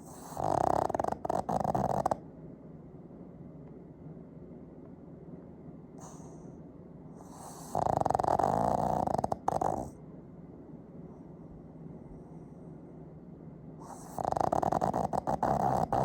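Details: Hearty snores from Fujiko, a two-year-old household Pug, captured with an iPhone 15. Three rough, vibrating snore bursts of about two seconds each recur roughly every six seconds, with soft breathing in between.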